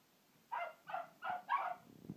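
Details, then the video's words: Two dogs, Sharkie and Ranger, barking at a hippo: four short, sharp barks in quick succession about every third of a second, followed by a faint low rumble at the end. "Sharkie and Ranger hate hippos"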